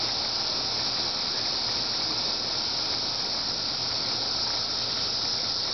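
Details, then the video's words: Cicada calling: a steady, dense, unbroken buzzing drone, brightest at the top of its range, that holds unchanged from start to finish with no pauses and no other clear sounds. "cicada part 1"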